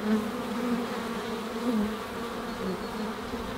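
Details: Honey bees buzzing at the hive: a steady, dense droning hum with a low tone and faint higher overtones, continuous and even throughout without pauses.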